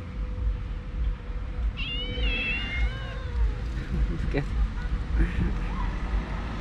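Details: Angry street cat in a neighbourhood where cats fight and suddenly attack one another; a single wavering, drawn-out meow that rises then falls, followed by scattered clicks and taps over low traffic noise.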